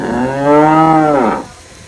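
A cow gives a single long, steady moo that drops away at the end.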